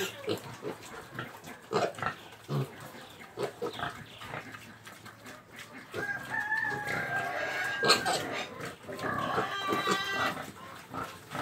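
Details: Pig uttering short rough grunts, then drawn-out tonal squeals in the second half, with faint human speech in the background.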